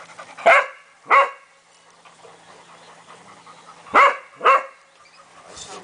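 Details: Cavalier King Charles Spaniel barking in two pairs of sharp, quick barks separated by about three seconds of quiet, with faint background sound.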